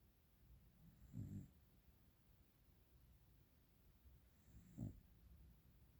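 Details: Sleeping dog snoring: two low, rough snore bursts about three and a half seconds apart against a quiet indoor background.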